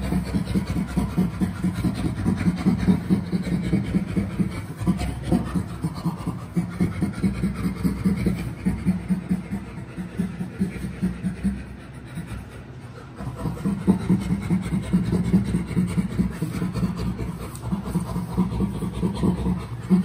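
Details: Chimpanzee Burrito, nearly recovered from a rattlesnake bite, laughing in play with his friend Jody at Chimpanzee Sanctuary Northwest: fast, low, breathy panting pulses in long rhythmic bouts, easing around the middle, then building again.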